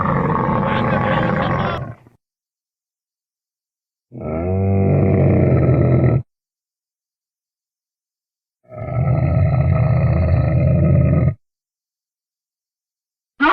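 A camel gives deep, rumbling grunts in bursts of about two seconds, separated by silence.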